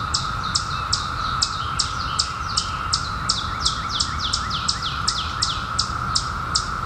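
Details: Periodical cicadas of the 2021 seventeen-year emergence fill the air with a continuous, even whirring drone that never breaks, while a bird gives quick, high, downslurred chirps, roughly two or three each second.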